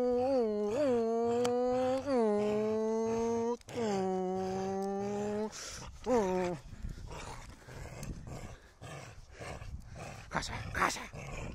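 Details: Holger, a dog wanting the stick, gives long drawn-out harmonic whines, about five moaning tones each swelling and bending upward at the end over six seconds, followed by scuffling, clattering noise and a man's voice.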